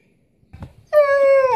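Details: Pet Siberian Husky complaining indoors: after a brief soft mutter, a long steady tonal howl-like whine with rich harmonics, slightly falling at the end.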